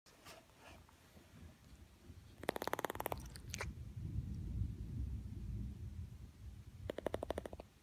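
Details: A Boston Terrier, scared of thunder, chatters its teeth in two quick bursts of rapid, rattling clicks over a low rumble.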